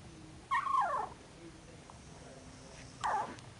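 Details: Kennel puppies in their second week of life; two high, thin whines, each sliding downward, about two and a half seconds apart, over a quiet room hum.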